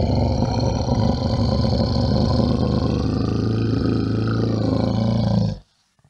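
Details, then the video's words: Bear roaring in one long, continuous, throaty rumble with a rapid pulsing vibration, sustained for over five seconds before stopping abruptly into silence. "Che suono fa un orso"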